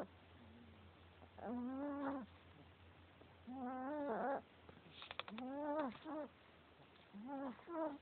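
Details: Male Chihuahua fast asleep, making a racket: a run of voiced, wheezy snores, each about a second long and roughly every two seconds, with a soft low hum between them.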